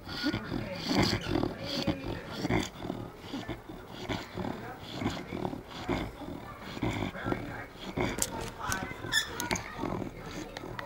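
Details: Bloodhound napping after a long day out, snoring with rough, rasping, snorting breaths in uneven bursts roughly every second, some louder snuffles near the end.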